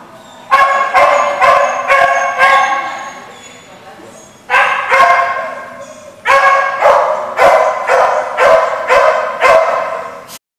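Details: Dogs at a barking lot recorded on 17 November 2014, barking in rapid series of sharp, harmonic barks about twice a second, in three bouts separated by short pauses.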